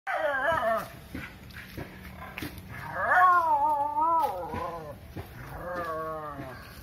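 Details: Dog defending its area against a monkey, making crying, wavering whine-like calls in three drawn-out bursts, the pitch bending up and down, with faint background noise.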